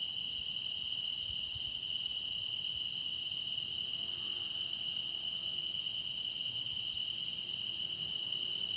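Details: Meditation recording of grass insects in song: a constant high, trilling drone of many callers blending into one ringing wash. A faint brief higher chirp stands out near the start; otherwise quiet.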